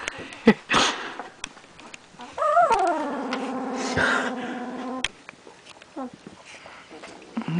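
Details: Puppy with eyes almost open lets out a long whine that jumps up, then slides down and holds a low, nasal, harmonic-rich tone for over two seconds, followed by brief squeaks and handling clicks.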